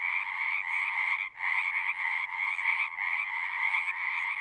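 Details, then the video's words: Chorusing frogs at a pasture pond for horses, Zoom 6 recording; dense pulsing trills hold steady in two pitch layers, pausing abruptly for a moment near one and a quarter seconds and again near three seconds before resuming. "Frogs singing"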